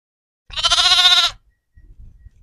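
A lamb gives a single high, wavering bleat lasting under a second.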